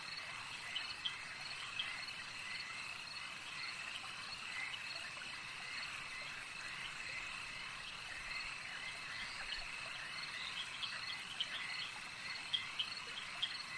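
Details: Lakeside frog chorus: many callers merge into an unbroken shrill drone, broken by short ticking calls that cluster near the end. A faint trickle of water runs beneath.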